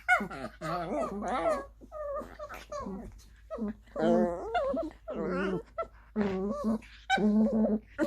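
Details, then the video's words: Two small dogs, a nine-month-old Maltese Pomeranian mix and a Lhasa Apso Chihuahua mix, playing together indoors; strange wavering whines, moans and low growly grumbles in rapid bursts, with pauses between. "Yes these are the weird sounds my dogs make when playing."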